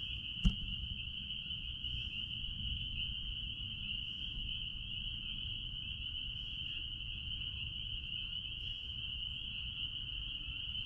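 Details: A dense chorus of spring peepers out back at a blueberry farm blends into a steady, high, ringing peep over a low background rumble.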